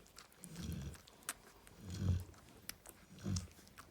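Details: Female Cane Corso snoring while resting with her puppies: deep, low rumbling snores roughly every one and a half seconds, three breaths heard, with faint clicks and rustling in between.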